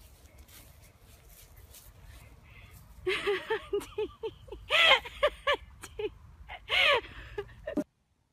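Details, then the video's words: A dog gives a run of short, high, yappy barks with harmonic overtones. They start after three seconds and come in a quick, uneven series of about a dozen, with two louder, longer barks near the middle and end. Faint background noise underneath. "DOG BARKING SOUND"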